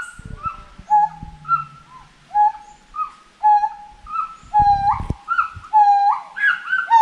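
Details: Repeated tonal hoots from a forest monkey, each a flat whistle with a rising flick, coming about once a second and growing busier and overlapping toward the end, with brief low rumbling bursts and knocks in between.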